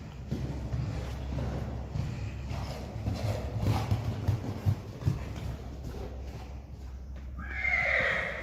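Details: In an arena, a Friesian mare and her two-week-old filly move about with steady hoofbeats and a low background hum. A short, bright whinny breaks out only in the last second.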